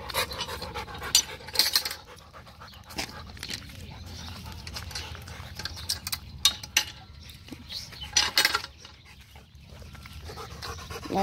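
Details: Rottweiler named Macho, a pet dog, panting after playing fetch with a ball; quick breathy bursts of high hiss come in clusters, with quiet gaps between and some human talk nearby.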